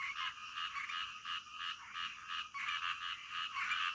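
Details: Midnight frog chorus with raspy, grating croaks pulsing a few times per second, voices overlapping into a continuous rattling texture, a brief dip in loudness partway through.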